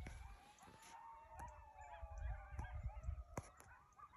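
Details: Coyotes calling together: several overlapping wavering tones rise and fall while sharp yips cut in, with a low rumble underneath and a steady high background whine.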